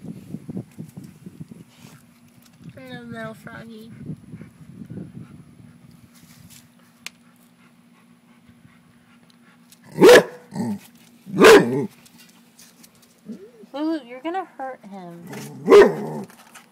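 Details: A female Rottweiler gives a few deep, sharp barks spaced a couple of seconds apart at a frog she dislikes, as people talk.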